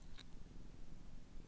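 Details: Domestic cat purring on her bed indoors in Meanjin (Brisbane), Jagera and Turrbal country, June 2024; a low, steady rumbling throb close to the microphone, with one brief faint click near the start.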